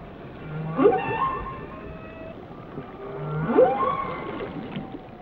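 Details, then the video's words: Whale song in the sea: two matching phrases about three seconds apart, each a low grunt followed by a quick upswept whoop with harmonics, soft water noise between. "Song of the Whales"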